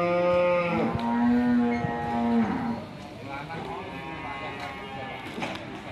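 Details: Angry, fierce cow bellowing at its panicked owner: one long, deep, harmonic-rich moo held for over two seconds, then dropping off into background rustling and faint later lowing.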